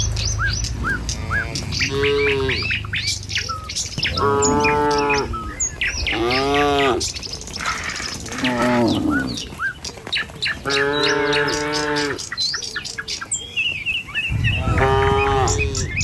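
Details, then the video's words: Tame cattle herded along a village road in the morning on their way to a field to feed. Long, drawn-out moos come repeatedly amid steady bird chirping and twittering. "Suara Sapi Moou Sepanjang Jalan Desa"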